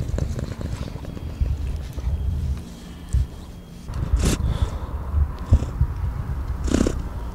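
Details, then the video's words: Domestic cat purring: a continuous, deep, pulsing rumble that never stops, with occasional soft clicks and rustling bursts over the top. "Прикольный кот мурчит"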